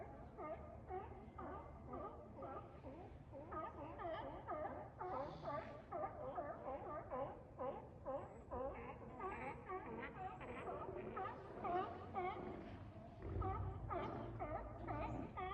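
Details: Steller sea lions hauled out on a wharf in Cowichan Bay, Vancouver Island, British Columbia, where they gather for about two months during the salmon run; a noisy chorus of bawling and moaning with many overlapping harsh, wavering calls, loud enough to wake people.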